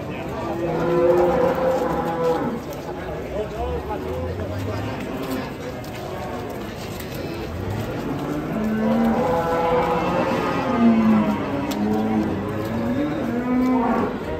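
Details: Giant European-class cattle unloading from a truck: drawn-out lowing moos with rich harmonics, one near the start and a longer stretch around the middle, over steady background noise and faint voices.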